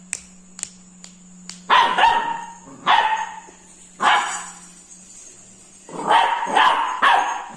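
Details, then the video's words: Frightened Labrador Retriever puppy reacting to a ladle with a series of short, rough barks, some doubled in quick pairs and separated by brief pauses, preceded by several light clicks and a steady low hum. "scared of ladle"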